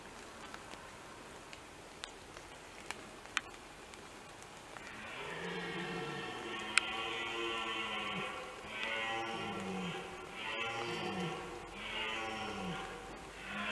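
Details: Several red deer stags roar during the 2021 rut, with a fight among them, giving deep, drawn-out bellows one after another.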